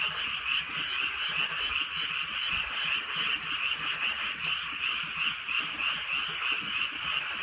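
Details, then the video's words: Many frogs calling through a drizzly countryside night in Korea; quick, evenly pulsing high croaks form an unbroken chorus, with occasional sharp raindrop clicks. "개구리 소리"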